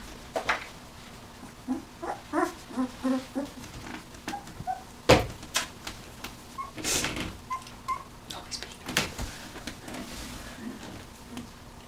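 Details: Puppies at nineteen days old give short, soft yelps and squeaks in a loose series, mixed with sharp knocks and scraping.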